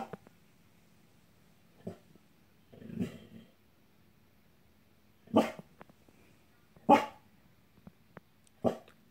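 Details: Abby, a pet dog, growling at an angel on the wall indoors: a low rumbling growl, then three loud, sharp barks about one and a half seconds apart, with faint soft sounds in between.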